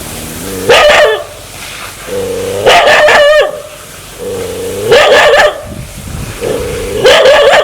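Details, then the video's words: A dog wanting to bite people alternates a steady low growl with a loud, harsh snarling bark every two seconds, four times over. "Sound Dog want to Bit"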